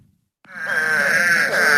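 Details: An eastern spadefoot (Scaphiopus holbrookii) gives a single low, nasal moan, like a sad or sick cow.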